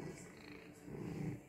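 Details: Female house cat indoors, purring while demanding cuddles and petting: a soft, low, steady rumbling purr with a gentle pulsing rhythm, under quiet room noise and an owner speaking.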